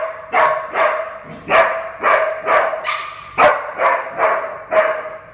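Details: Minnie Mouse, a mixed breed puppy of 11 months awaiting adoption, gives a steady series of about ten loud, full barks, roughly two per second, each with a strong mid-pitched tone.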